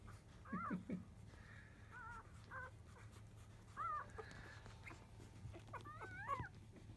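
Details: Newborn field-line Labrador Retriever pups, five days old, squealing while settling to nurse from their mother biscuit after 1 pm; sparse high, wavering whines, one doubled, separated by quiet gaps over a low hum.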